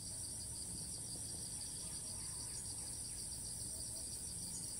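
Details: Thai cicada that keeps calling despite moving perch after each flight, heard from afar as an unbroken high-pitched droning buzz with a faint rapid pulse, set against low outdoor rumble.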